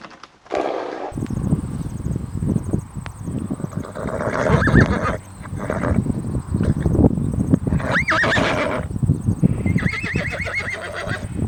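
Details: Horse neighing: loud, shaky whinnies with a wavering tone near seconds eight and ten, over heavy low thudding and rumbling, with a steady high electrical whine throughout.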